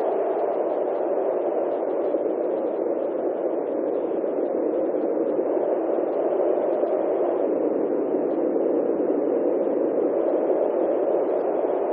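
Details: Constant hissing static, like radio noise, runs unchanged throughout with no animal sound.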